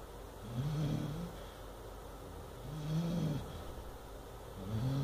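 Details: Deep, throaty snoring from an eight-month-old Chow Chow puppy having a bad dream while asleep. Three rumbling breaths, with the middle one longest, swell and fade about every two seconds.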